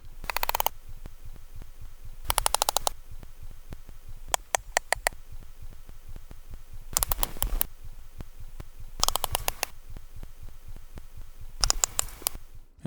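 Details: A single sperm whale makes a solo coda, bursts of sharp, broadband clicks, each pattern lasting under a second.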